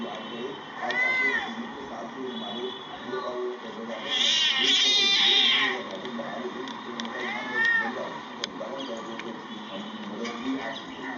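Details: Cats in a fight: drawn-out harmonic yowls near one and seven seconds, with a louder, harsh screeching burst around four to six seconds, over a steady background of voices and noise.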